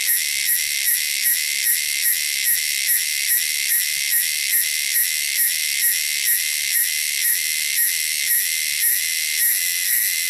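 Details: Shrill, loud call of wild cicadas, a high buzzing drone throbbing in regular pulses a little over twice per second without pause.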